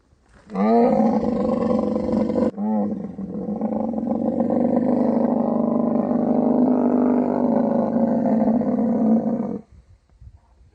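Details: Camel in mating season in the Thar Desert, Tharparkar, Sindh, Pakistan: a loud, deep, harmonic roar that rises at the onset, breaks briefly, then holds as a long, steady, throaty bellow for about seven seconds before stopping.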